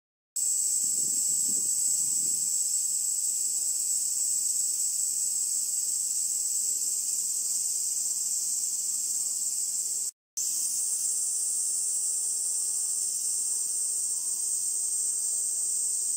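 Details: Kaempfer cicadas, which become adults during the rainy season from late June to July, sing earlier than other cicadas and gather on cherry trees along the Minuma canal near Minuma rice fields, give a continuous, high, hissing buzz.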